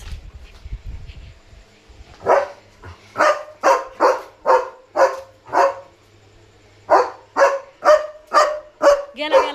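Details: At night a German Shepherd guards its area, barking at another dog outside. Two bursts of loud, sharp, evenly spaced barks, about eight then six, separated by a short quiet gap, with faint speech.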